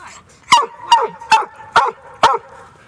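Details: A New Zealand Huntaway on a Sunday walk near the Christchurch landfill, by the beach. Five sharp, loud barks come roughly every half second over a steady high whine.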